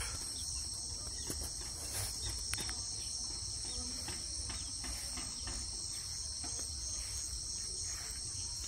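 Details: Crickets trill steadily in a high, continuous shimmer at a homestead pasture with cows and sheep, with faint clicks and a low rumble of field noise underneath.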